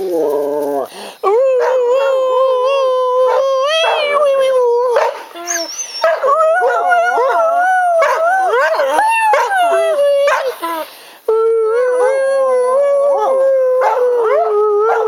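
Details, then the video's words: Two pet dogs named Jemma and Bubby howl to "Crying Time" sung by their owner; long drawn wails with wobbling pitch and upward swoops, interrupted by a few short pauses, voices overlapping. "Jemma dog and Podjy singing"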